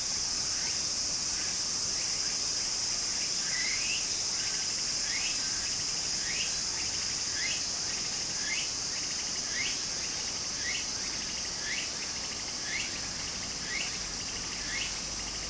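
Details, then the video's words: Cicadas singing in Japanese summer by a small stream. A dense, shrill drone holds throughout, with quick upward-sweeping chirps and pulsing bursts higher up, and running water underneath. "小川の流れと蝉の声 自然音 ～夏～ Japan Sound of nature Cicada's voice"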